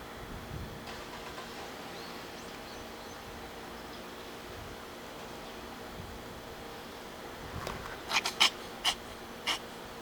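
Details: White cat sneezing outdoors after eating wild grass: a quick run of four sharp, breathy bursts near the end, following a quiet stretch of steady outdoor background hum.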